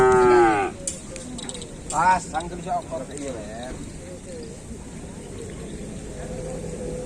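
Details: Racing cattle at a kerapan sapi bull race at Griduh Onggu, with bulls from Sapudi island. One loud, harmonic-rich moo opens, then shorter wavering calls follow amid crowd chatter and background noise.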